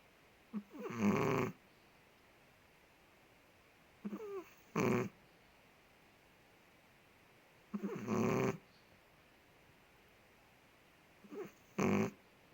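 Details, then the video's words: Sleeping Chihuahua named Ted, a big dog living in Indonesia, snores steadily indoors: each breath a faint squeaky whistle followed by a broad rasping snore, repeating roughly every three and a half seconds, four cycles heard against a quiet room. "5 MINUTES DOG SNORES"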